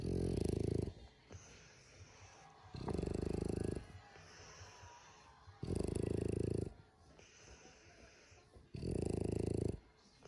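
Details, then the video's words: French Bulldog snoring loudly: four long, low, rasping snores, each lasting about a second and coming every two and a half to three seconds, with soft wheezy breathing in the quiet gaps. "Frenchie loud snoring"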